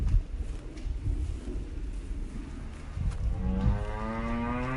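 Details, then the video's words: A cow lows over a rough, rumbling background. After about three seconds it gives one long, drawn-out moo whose pitch slowly rises and swells until the end. "Cow Sounds And Cow MOOOOO Sound Effect"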